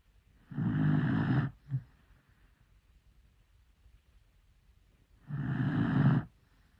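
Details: Dachshund. Two drawn-out snores from a dachshund fill the recording, each a deep, buzzing rattle lasting about a second. A small snort follows the first, then a quiet pause before the next heavy breath.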